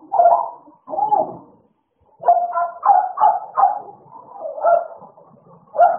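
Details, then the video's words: Idol and Alice, two American Bullies, playing: two short barks, a second of silence, then a series of grumbling, mid-pitched barks and growls spaced about half a second apart. "American bully idol and alice playing time"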